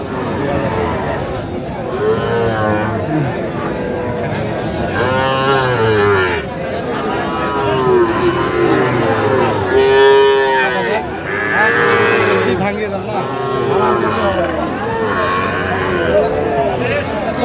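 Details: Sahiwal cattle at a cattle market in Kushtia, Bangladesh; several drawn-out harmonic moos, some rising and falling, spaced a few seconds apart over a constant crowd murmur and bargaining voices.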